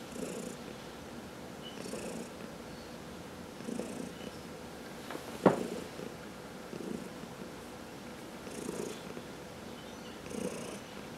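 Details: Massaged cat purring in a steady low rumble with breathing swells every one and a half to two seconds; one sharp click sounds midway through.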